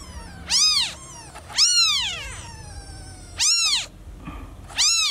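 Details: Domestic cat (kitten); distress meow; newborn kitten calling for its lost mother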